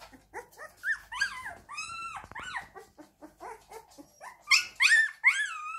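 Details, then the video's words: Siberian Husky crying in a busy stream of high, squeaky whines and yelps. The notes are short and bent, rising then dropping, and a few longer whines grow louder toward the end. "Husky crying"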